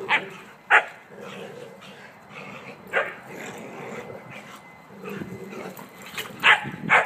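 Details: Playing together by a new fence, three dogs, Emma (five months old), Bugsy and Kuna, give sharp single barks spaced a second or two apart between soft growling and panting.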